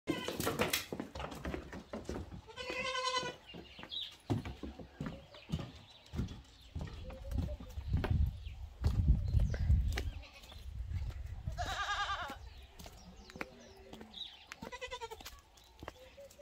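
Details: Bottle-fed Boer goat kid heading to the goat house after finishing its bottle: short nasal bleats near the start, at about three seconds, twelve seconds and fifteen seconds, over rumbling handling noise and bumps.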